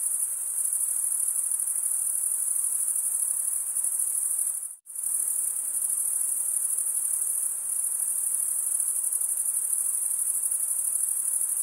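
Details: Crickets chirping, the sound made by males scraping the serrated wing vein. An unbroken high metallic trill drops out abruptly for a moment near the middle, then resumes at the same steady level.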